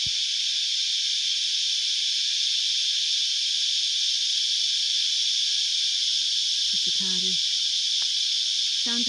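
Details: Cicadas in the Australian bush on a hot 35° summer day give a loud, unbroken, hissing drone, with a man's voice briefly speaking near the end.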